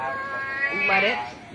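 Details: A domestic cat gives a single short meow, a harmonic tone that holds fairly level and then lifts slightly in pitch near its end, with faint background noise.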